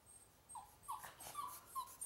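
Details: A playing pet dog gives a quick series of thin, high whimpers, four or five short nasal whines in two seconds, each slightly bending in pitch, quiet against a still indoor background.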